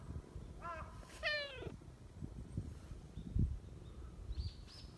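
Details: Friendly silver tabby neighbourhood cat chatting near a bench: two quick meows in close succession, the second louder and falling, followed by rustling and faint high chirps.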